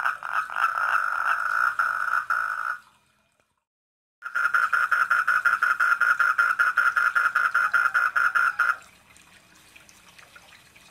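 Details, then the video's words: Four-lined tree frog visiting a koi pond, giving rapid rattling pulse trains at mid pitch; a first burst stops abruptly, a short silence follows, then a second, more regular series of clicks before fading to quiet background. "SOUND OF THE FROG ON KOI POUND"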